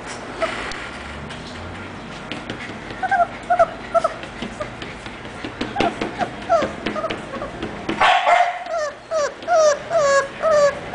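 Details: English Bulldog puppy named Orzo whimpering: thin, high whines that slide downward, repeated irregularly about twice a second, over a hissy background with scattered clicks; the whines grow louder and clearer in the last three seconds.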